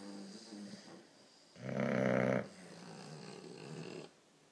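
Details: A 4-month-old English bulldog puppy snores with a loud, rattling, throaty rasp between softer breathing sounds, in a snoring contest with an Alapaha Blueblood American Bulldog.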